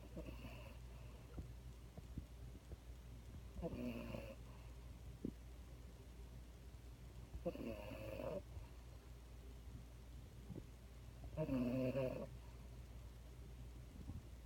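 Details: A French Bulldog snores while being held. Soft rasping snores with a faint tonal buzz come about every four seconds over a quiet, low background hum.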